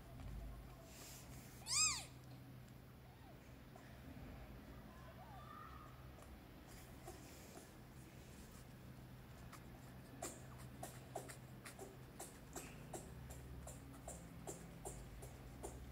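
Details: Newborn rescued kitten indoors in a flat, calling for its mother or food, gives one loud, high, bending meow near the start; afterwards only soft clicks and light tapping in a quiet room.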